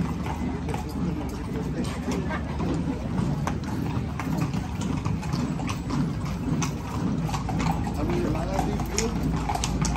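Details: Horses marching in a parade in Zináparo, their hooves clopping in a steady, loosely regular beat on pavement beneath a loud murmur of crowd voices.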